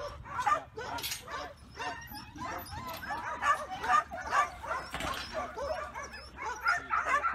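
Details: Black and tan male Kelpie, two years old, a young yard and stock working dog trained to back and bark on command; sharp barks and yips come in irregular bursts, about two a second, with people talking nearby.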